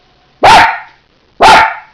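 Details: Two loud, explosive barks from Teddy the dog, spaced about one second apart, each harsh and broad with a short tail, in an otherwise silent background.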